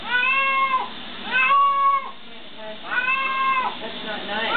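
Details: Domestic cat loudly meowing while getting a bath, vocal and sounding like it cries "help"; three drawn-out, harmonic-rich wails with falling ends, about a second each, separated by short pauses.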